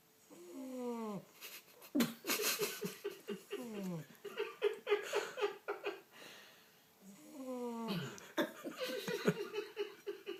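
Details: English Bulldog Rocky's first snore: squeaky, wheezing bursts with sliding, whistle-like tones between rough breaths.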